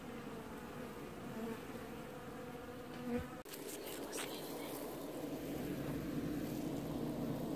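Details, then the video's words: Honey bees washboarding at the hive in an apiary, July 2019; a steady colony hum interrupted by a sharp knock, after which the buzzing grows louder and rougher. "Washboarding Bees"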